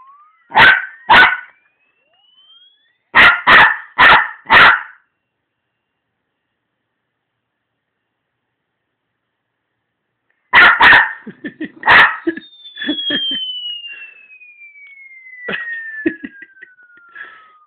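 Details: Pet dog reacting to an irritating electronic noise with bursts of sharp barks: two, then four in quick succession, a long pause, then another volley with softer huffs as a falling electronic whine sweeps downward.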